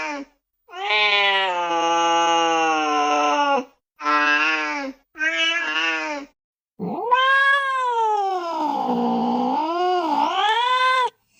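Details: Cat crying in a series of long, harmonic meows of steady pitch, ending with a drawn-out wail that dips low and then rises again in a wavering, yowling line.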